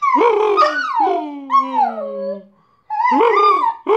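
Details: Howling from Bosco, a pet dog singing while collecting the post: a yelping start melts into a long, slowly descending wail that fades out, followed after a short silence by another rising yowl.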